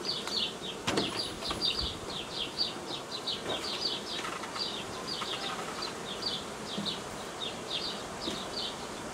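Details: Honey bee swarm tended by a beekeeper on 18 May 2018 in Romania; a buzzing drone, with repeated chirping bird notes throughout and a few clicks and knocks.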